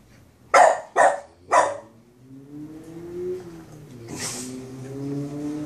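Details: Boston Terrier barking at his brother, three sharp barks roughly half a second apart, followed by a low droning hum and a rising background rumble.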